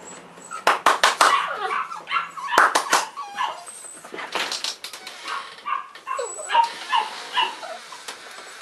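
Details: Three Cavalier King Charles Spaniel puppies, March 2014, indoors: a busy run of high whimpers, squeaky yips and short cries overlapping one another, several per second, with light knocking sounds between them.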